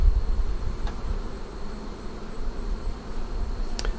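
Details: Buzzing of honey bees at a Flow Hive as honey is drawn off frame by frame in the first extraction; a continuous low murmur with brief handling taps and a steady high-pitched whine throughout.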